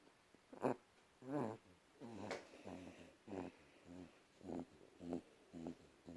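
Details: A pet cat making little noises indoors: a string of short, low, throaty mews or grunts with harmonics, about one every second, in a quiet room.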